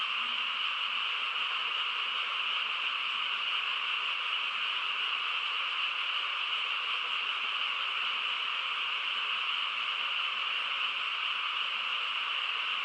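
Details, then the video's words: Frogs chorusing on a quiet countryside night: a dense, unbroken droning wall of calls, steady and even throughout with no pauses or separate voices standing out. "고요한 시골 밤에 개구리 합창 소리"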